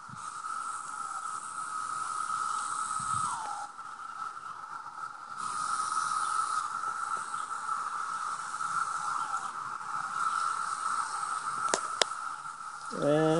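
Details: Many 17-year cicadas swarming a home's grass, bushes and trees, calling loud enough to hear indoors with windows shut, one on a sumac tree; a steady, unbroken droning buzz holds throughout, with a brief human voice at the end.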